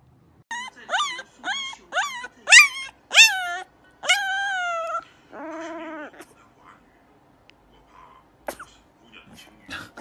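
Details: First-time howling from a puppy: a quick run of short rising yips that builds into a longer, wavering howl, followed by a lower steady tone and then faint scattered sounds.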